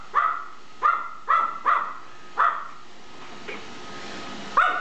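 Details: Tiny dominant dog Gizmo barking at an iRobot Roomba as it moves about; crisp, high-pitched barks, five in quick succession, a pause, then one more, above a faint motor hum.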